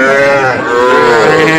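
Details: Young Sahiwal bull calves bought by a farmer from Comilla, Bangladesh, on 5 August; one gives a loud, steady, nasal moo with rich harmonics, held evenly for over a second and a half.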